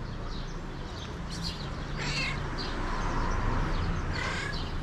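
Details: Hungry stray cat, one of the homeless feral cats noted as starving in the cold, seen riding a tricycle. Gives two short, harmonic meows, near two seconds and again near four seconds, over steady low background noise with faint chirps.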